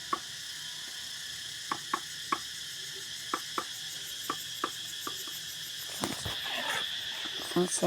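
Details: Many cicadas at Songkran time in Ban Dan Xang village keep up a steady high-pitched buzz while irregular tapping knocks from construction work sound several times a second.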